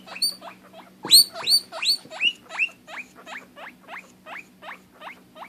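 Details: Pet guinea pig, a female, squealing because she cannot see her sister; rapid series of sharp rising whistled wheeks, about three per second, loudest early then settling into an even, slightly softer run, with a low background hum.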